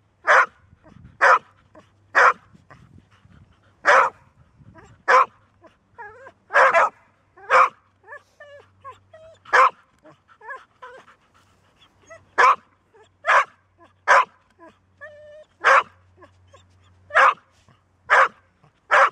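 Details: Golden Retriever bitch that rarely barks but can keep going persistently once started: a long series of about eighteen loud, abrupt barks, mostly evenly paced, with brief whimpers and a low hum in places.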